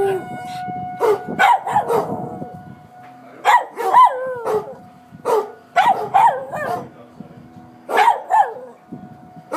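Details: Willy the dog reacting to tornado sirens in Coon Rapids with bursts of barks and wavering howl-like yelps, spaced irregularly, while the siren hums steadily behind and a voice speaks briefly.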